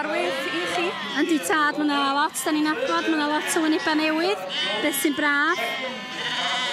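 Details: Several Welsh Black Mountain sheep calling in overlapping bursts, each bleat flat and nasal with a wavering onset, many short cries packed close together, alongside sharp clattering knocks.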